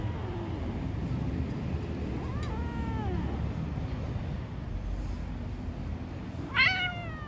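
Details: Stray street cats talking to each other: a softer, drawn-out meow with arching harmonics mid-clip, then a louder, sharp rising-and-falling meow near the end, over a steady low rumble of street noise.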